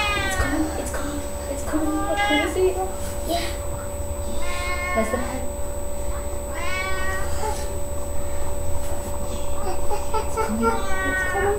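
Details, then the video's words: Pet cat Sasha giving birth to three kittens indoors on May 14th, 2011, calling out again and again: harmonic meows, some rising then falling, roughly every two to three seconds, over a low hum and soft talk. "My cat Sasha having her kittens"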